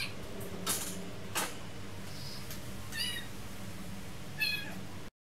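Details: Domestic cats eating old food indoors; short faint meows with stacked harmonics at about three and four and a half seconds, among clicks and eating noises over a steady low hum.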